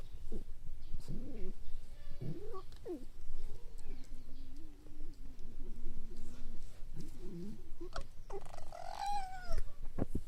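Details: A fox at Zao Fox Village, 25 May 2015, gives a series of short, wavering whines and squeals. A longer low, quavering cry follows, then a higher, rising yelp near the end, all over a steady rumbling background noise.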